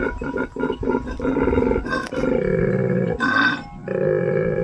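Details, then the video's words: Angry male koala, wild, living in the trees around an Australian homestead, growling: a run of rhythmic, pulsed grunting snorts, then rougher, sustained rasping tones with short pauses between them. "I know this is a male because he growls. Angry."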